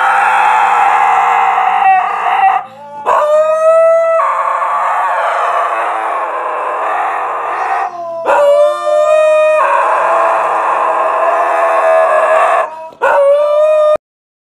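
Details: A Siberian Husky "sings" along to Billy Joel's "Piano Man" played on a smart speaker, howling in long, wavering notes that swoop upward over the piano music.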